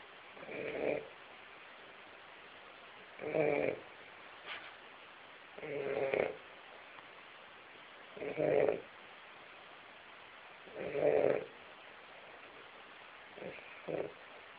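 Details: A sleeping Weimaraner snoring heavily indoors: rough, breathy snores recur about every two to three seconds, each a short rasping burst, with a steady hiss of background noise throughout.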